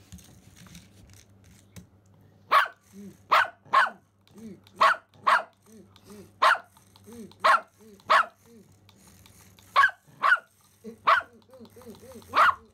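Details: Excited Pomeranian Simba barking at a remote-control toy rat seen for the first time: a long series of short sharp barks, often in quick pairs, with soft whiny yelps and a low background hum between them.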